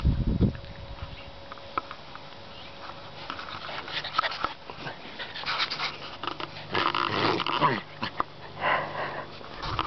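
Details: Puppy at play, breathing in quick snuffling pants and sniffs among scuffling, rustling movement noises, with a short burst of busier activity near the end.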